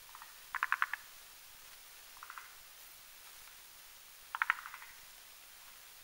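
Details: Male and female forest green tree frogs gathered at night to make a sponge-like foam nest over a mountain pond. Soft rattling pulse groups sound intermittently, a few of them fainter and more distant.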